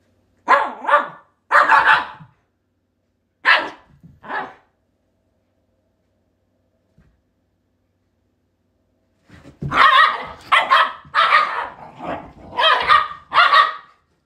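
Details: Pet Shiba Inu dogs indoors, in something they always do: loud sharp barks, first four spaced singly, then after a long silence a rapid cluster of about eight barks close together.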